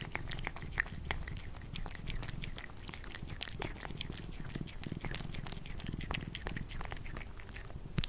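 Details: A cat eating food indoors: dense, rapid wet chewing and crunching clicks run continuously throughout, with soft low rumbling beneath and no other clear sounds.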